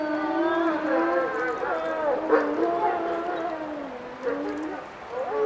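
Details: Dense group howling by wolves, many voices stacked at once, each drawn out and wavering up and down in pitch, with a brief brighter swell near the middle.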